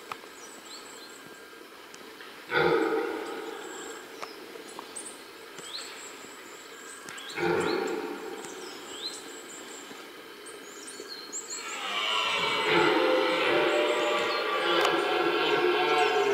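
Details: Red deer roaring during the rut in the middle of a rutting ground: two short, powerful harmonic bellows several seconds apart, then a long sustained roar from about twelve seconds onward, with small birds chirping in between.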